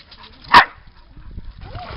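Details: Female dog by a lake at Lida Nature Reserve on a summer day, playing fetch with a thrown toy; one short, sharp bark midway, surrounded by a woman praising the dog in Swedish.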